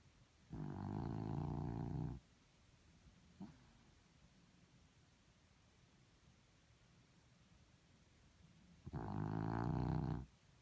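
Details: A dog snoring: two loud, harsh, rumbling low snores about eight seconds apart, each lasting over a second, with a faint soft sound between them in an otherwise quiet room.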